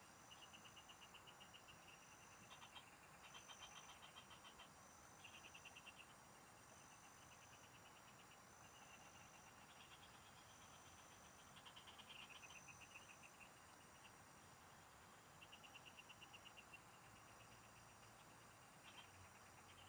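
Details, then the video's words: Many frogs singing in the fields, recorded during a fishing outing: bursts of rapid, high pulsed chirps lasting one to two seconds, several callers overlapping, over a steady high insect whine and faint low rumble. "Pikinggan mo Ang MGA huni Ng MGA Palaka SA bukid"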